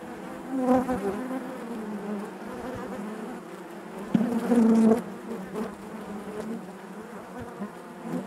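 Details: Low, steady drone of honey bees inside a hive, with a close bee giving a louder, held buzz for about a second midway.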